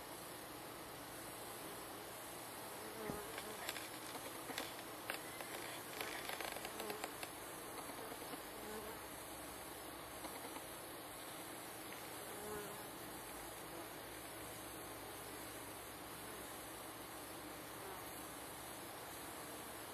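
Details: Close-up on a reasonably tame wild bee colony nesting underground among wattle trees in Sydney: continuous massed humming, with a cluster of louder passing buzzes early on before the drone settles evenly.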